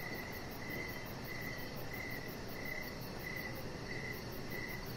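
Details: An evening cricket chirps outside near a deck with decoration lights, where chihuahua Rocket lies; bright high trills recur roughly every two-thirds of a second, set against faint pulsing in the very high range and low rushing noise.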